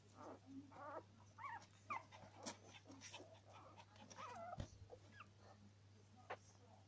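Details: Norwich Terrier puppies making soft whimpering and whining sounds with short yelps, some vocal noise overlapping, and a steady low hum throughout.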